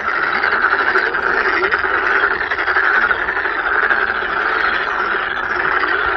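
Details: At Sangdang Fortress in Cheongju, where many toads and toad tadpoles gather, toads call at once, their pulsed trilling notes merging into a steady, noisy, rattling chorus with no single caller standing out.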